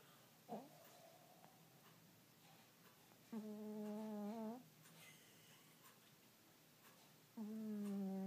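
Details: Domestic cat snoring while asleep indoors, giving drawn-out, tonal, humming breaths about a second long, roughly every four seconds, with faint quieter sounds between them in a small quiet room.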